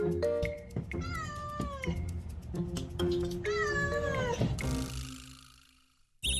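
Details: A mother cat, a café's mascot with kittens on the roof, gives clear, plain meows that rise and fall. This is the kind of meow she uses when asking people for something, unlike the calls to her kittens.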